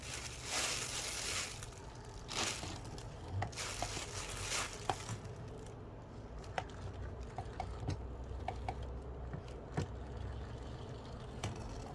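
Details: A plastic bag rustles and crinkles in loud bursts, followed by scattered soft taps and clicks indoors, and no animal calls are heard.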